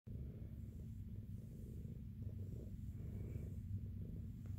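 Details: Jiji, a big fluffy female shelter cat at SBACC who was returned after adoption, purrs softly while her matted fur is examined: a steady low rumble with gentle rhythmic pulsing, no other voices.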